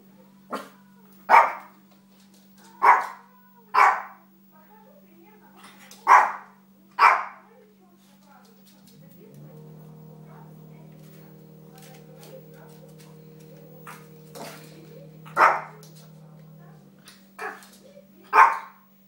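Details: Little dog at play during training gives a series of brief, sharp barks and yaps, irregularly spaced. A sustained tonal drone fills the middle stretch before the barking resumes over a constant low hum.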